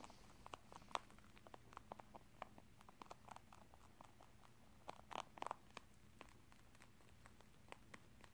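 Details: Indoors, Tosil the rabbit munches corn and rice snacks, producing crisp clicking crunches several times a second, with a louder cluster of bites midway over a low background hum.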